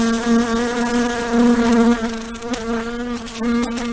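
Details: House fly buzzing steadily: a continuous droning hum with a low fundamental and stacked overtones, slightly wavering in pitch and loudness, with brief clicks or bumps around the middle and end.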